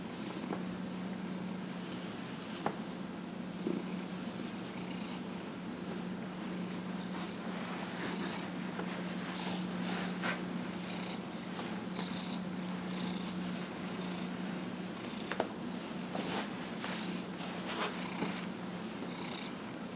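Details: Dillard, a 15-and-a-half-year-old pet cat, purring while being massaged on January 31, 2018; a steady low hum runs throughout, with soft rhythmic breathy swells and a few faint clicks indoors.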